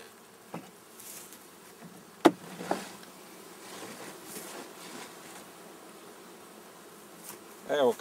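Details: Honey bees during inspection of a swarm being dusted with powdered sugar against varroa mites: a steady low buzzing hum throughout, broken by sharp knocks and clicks, one loud thump early on and a louder buzzing burst at the close.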